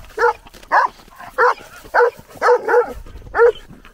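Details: Shepherd dog barking while gradually leaving a group of horse riders by a field; a run of seven short, mid-pitched barks roughly every half second, two close together near the end, no other clear sounds.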